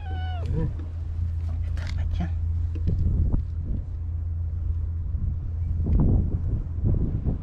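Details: Stray white cat living on the tetrapod breakwater in Japan, keeping company with another stray cat beside anglers; one short, falling meow at the start, then a steady low hum with rustling and knocking noises.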